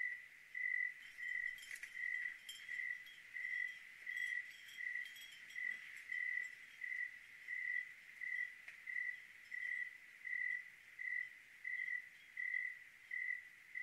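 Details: Oregon cricket at night producing regular high-pitched chirps about once every 0.7 seconds, with occasional soft chime-like tinkles and light patter behind.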